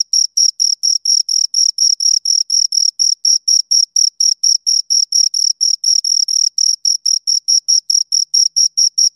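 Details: Steady cricket stridulation from two crickets: sharp, high, evenly spaced chirps, roughly four each second, with a thin upper overtone and a silent background.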